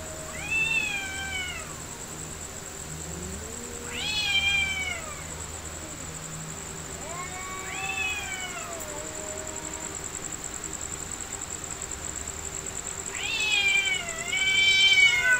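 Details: Two cats fighting for real, trading four separate arched, wailing yowls roughly every three to four seconds, each climbing then sliding down, the last one loudest and most strained, over a steady thin electronic whine.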